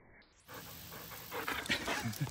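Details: An 11-month-old German Shepherd runs after its owner shortly after retrieving a stick from a river. Quiet for the first half-second, then rough, breathy panting bursts follow in quick succession and grow louder and denser toward the end.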